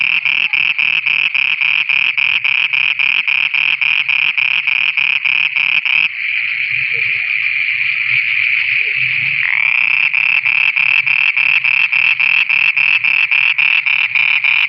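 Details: Frogs in Pakistan calling at night with rapid, high-pitched pulsed notes repeated several times a second.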